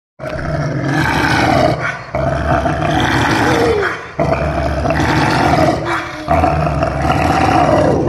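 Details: A Rottweiler puppy growls and grumbles in long, rough, rumbling phrases, acting possessive and guarding something it considers its own.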